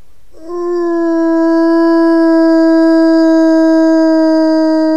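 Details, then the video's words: Wolf howling to communicate with its group: after a brief quiet start, one long, steady, even-pitched howl rises slightly in loudness and holds level with rich overtones until the end. "Wilczy zew / The call of the wolf"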